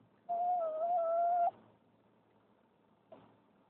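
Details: Lola, a dog rescued from the streets in Turkey, cries with excitement as the car arrives home: one steady, sustained whine lasting over a second, followed after a pause by a brief faint whimper in a quiet interior.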